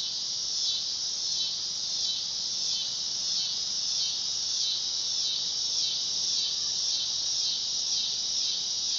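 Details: Shrill, throbbing buzz of a dog-day cicada (Neotibicen canicularis), held steadily for nine seconds with a gentle regular wavering in intensity.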